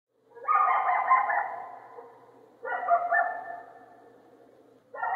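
A coyote gives harsh, drawn-out barks that trail into brief wavering howls, about every two and a half seconds.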